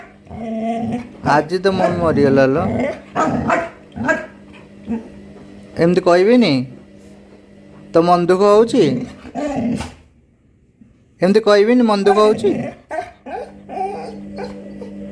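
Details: Sad Labrador crying over its missing mother, giving wavering, quavering moans that rise and fall in pitch, several separate bursts of about a second each, separated by quiet gaps, with a constant low background drone.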